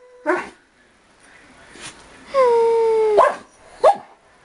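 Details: A pet Dachshund and blue Doberman, aged 4 and 5, in a jokingly 'vicious' attack. A short yelp, then a clear, slightly falling whine lasting nearly a second, ended by two quick high yips.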